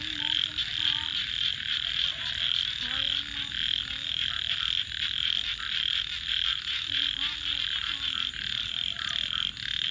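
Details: Night frog chorus by a campfire, a thick wall of high trilled calls pulsing roughly every half second, while faint low sliding tones drift underneath and scattered crackles break through.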